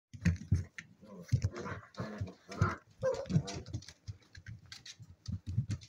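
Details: Seven-week-old spaniel pups at play indoors, giving low, rumbling growly pulses in quick bursts with short gaps between them, some scuffling noise underneath.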